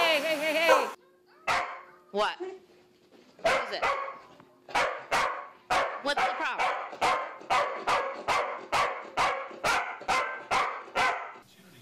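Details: Corgi in a home setting barks in a long steady series of about fifteen sharp, evenly spaced barks, roughly two each second, after a brief burst of human voice and yelping at the start.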